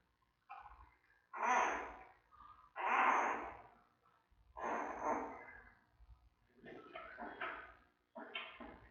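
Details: Tiny giant panda cub in the den at the Smithsonian's National Zoo, recorded on panda cam beside mother Mei: a rhythmic series of rough, noisy squawks about every one and a half seconds, trailing into softer broken chirps.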